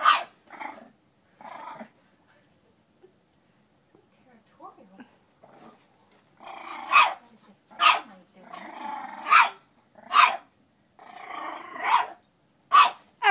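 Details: A female French Bulldog puppy, eight weeks old, barks and growls at her mirror image. A few soft yaps come first, then a fast series of loud, harsh barks, about one each second, mixed with growling.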